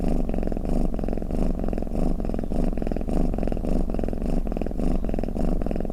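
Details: Domestic cat snoring and purring, a steady low rumble pulsing in rapid even throbs, close and continuous with no other sounds.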